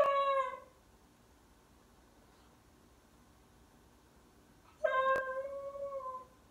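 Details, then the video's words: Howling West Highland White Terrier, a female: two short falling howls with rich overtones, one at the start and one after a long quiet pause, against a faint background hum. "Westie Howling"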